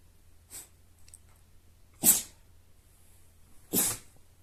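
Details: Siberian Husky sneezing indoors: a soft first sneeze, then two loud, sharp, breathy bursts roughly one and a half seconds apart, with a low steady hum underneath.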